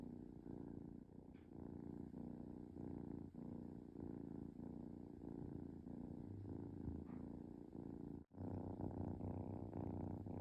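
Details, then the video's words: Content kitten purring during a relaxed moment, a rhythmic throaty rumble repeating with each breath, with one brief dropout in the purr near the end. "Cute Kitten Purring"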